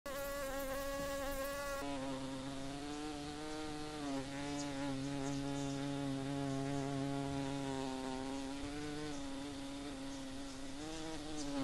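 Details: Australian blue banded bee in a garden in Australia, flying quickly: a steady, low droning buzz with a rich, even hum that holds its pitch throughout, wavering slightly now and then.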